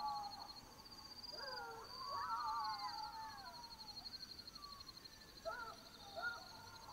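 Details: Black-backed jackals at night in Botswana, a burst of overlapping wavering howls and yelps early on, fading to scattered short calls later, under a continuous high insect trill.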